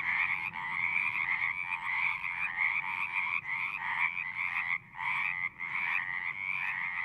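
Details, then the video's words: Singing frogs in a thick chorus of pulsed, trilling croaks, the dense wall of sound briefly dipping a few times, with a faint low rumble underneath. "One hour of singing frogs."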